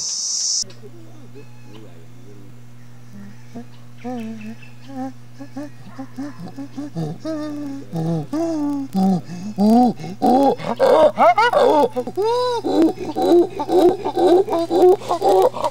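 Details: Chimpanzee pant hooting as a display of strength and dominance: soft introductory hoots grow into faster, louder breathy in-out hoots, then rising shrieks in the final seconds, over a constant low electrical hum.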